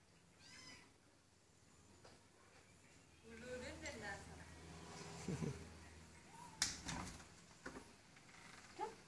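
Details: Kitten kneading a dog with its paws, giving a short high mew that bends upward and back down near the start, followed by people talking and calling out, with soft rustling and a few sharp knocks.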